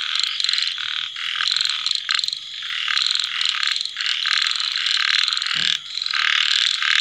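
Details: Night chorus of small frogs after rain: rapid pulsed, rattling bursts stacked over a continuous buzzing drone, swelling and easing every second or two, with one brief dull knock midway.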